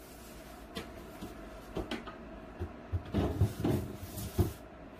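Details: Scattered indoor knocks and cupboard-like bumps over a low room hum, growing busier toward the end, with no animal voice.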